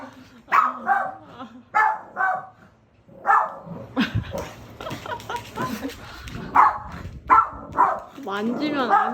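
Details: Pet dog barking repeatedly for attention at a visiting friend it has not seen in a long time, indoors; short sharp barks come in bursts every second or so, mixed with women talking over them.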